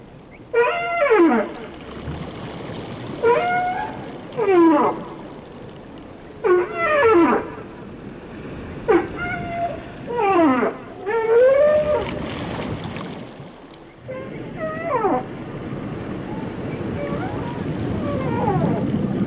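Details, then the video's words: Whale calls in a rapid string of roughly eight sharp downward-sweeping harmonic cries, some with brief upturns, then quieter drawn-out wavering tones with growing low rumble toward the end. "Song of the Whales"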